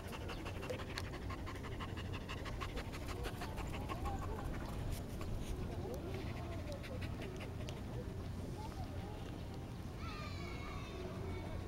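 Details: Border Collie panting quickly while resting, the breathy rhythm strongest early on, then fading; human voices and a short high squeaky sound appear later over a low hum.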